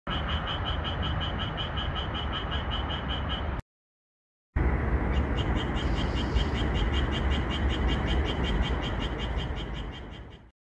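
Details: Green frogs singing at night under moonlight in a red pepper field, edited to make them call a lot: a fast, steady train of bright clicking croaks, about four per second, over a dense low rumbling chorus, with a brief silent gap.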